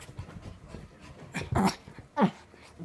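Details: Petit Brabançon at play, two short throaty growling snarls rising out of a low rumbling background.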